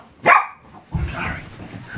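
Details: Pet dachshund, a badger hound who loves tunnels, caves and hiding places, playing with her new kitty cube indoors; one short sharp bark near the start, then rustling and scrabbling as she moves about.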